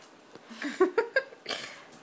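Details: Puppy whimpering during its first rough play with other dogs, at an uncaged home dog-sitting setting in Jerusalem: three short, tonal, whining yelps in quick succession, each bending in pitch, followed by a breathy, noisy huff.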